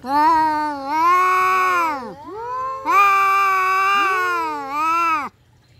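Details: Caterwauling from domestic cats in a fight: nearly continuous overlapping yowls that swell, bend and dip in pitch, with a brief dip in the middle and an abrupt stop at the end.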